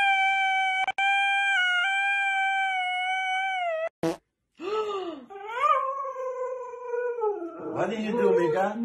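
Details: Siberian Husky in a comedy compilation holding a long, even howl for about four seconds. It is followed by a break, then wavering, falling moan-like vocal sounds mixed with human voices and music.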